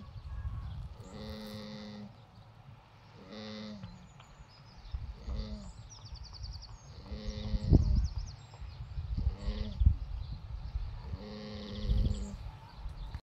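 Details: Cherry, a female alpaca, sunbathing in her field in the summer sun and snoring; slow rhythmic low breaths roughly every two seconds, each with a faint tonal whine on top, steady and calm.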